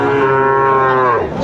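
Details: Sahiwal bull calf at a busy cattle market in Sylhet, Bangladesh, on 29 June 2024: one steady, flat-pitched, richly harmonic moo lasting just over a second before breaking off, with a faint market murmur behind.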